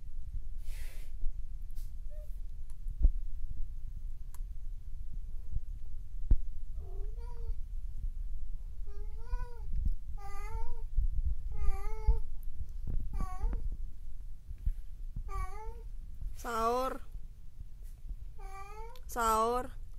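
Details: Domestic cat Mokles meeting his mate Sapi indoors: after quiet rustling, a series of about ten harmonic meows, each gliding up then down, spaced one to two seconds apart and growing louder and longer toward the end.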